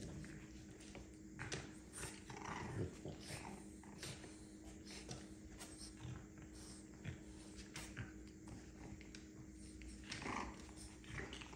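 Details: Indoors with her pups, Milli the French bulldog gives quiet snuffling, breathy puffs and occasional low grumbles, spaced irregularly against a faint constant room hum.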